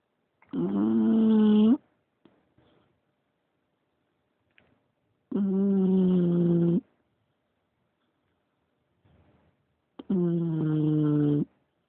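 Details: English Bulldog snoring: three long, harsh, droning snores of over a second each, spaced roughly every four to five seconds, with quiet snuffling breaths between them in a still indoor setting.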